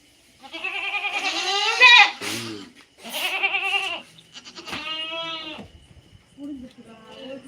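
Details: Several drawn-out, wavering native goat bleats in three bursts, the first rising and strained, mixed with human talk nearby.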